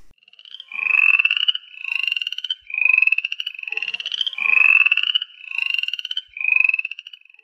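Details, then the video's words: Upland chorus frog (Pseudacris feriarum) calling, giving raspy, rising pulsed trills, each under a second, repeated in quick succession. "Pseudacris feriarum - Upland chorus frog"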